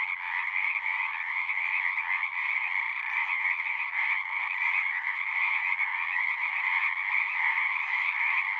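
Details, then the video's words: Dense frog chorus, a steady overlapping trilling din with strong bands in the middle and upper pitch range, unbroken throughout and with no other sounds. "One hour of singing frogs."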